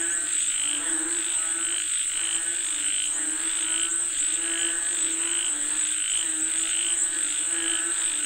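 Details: Croaking frogs calling for rain, rhythmic pulsed calls rising and falling about once a second, with a persistent high insect buzz in the background.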